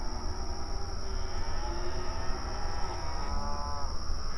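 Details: Cows mooing mournfully at night: faint, drawn-out harmonic moos overlapping in the middle of the clip, over a constant low rumble and a steady high-pitched whine.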